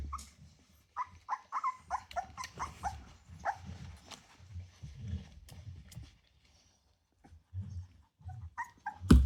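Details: Litter of ten Rottweiler puppies at 24 days old, just over three weeks, giving short high whimpers and squeaks in scattered bursts, with low thumps and shuffling between calls and a sharp louder yelp at the end.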